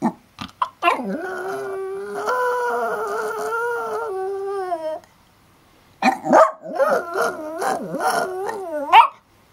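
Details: Banjo the dog howling like a wolf: sustained harmonic howls that waver and fall, opened by short yelps, a quiet gap, then a second run of bending, yodel-like howls.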